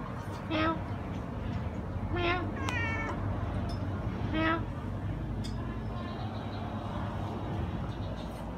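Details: Kittens kept as a family of five, three grey, one white and one black, meowing. About four short, thin, high meows come a second or two apart over a steady low rumbling background noise.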